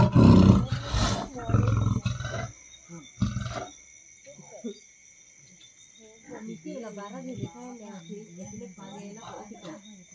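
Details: Leopard caught in a cage trap at midnight in Champavadi village, Vyara taluka: two seconds of deep, loud, rough roaring and growling at the start, then men talking quietly over a steady high electronic whine.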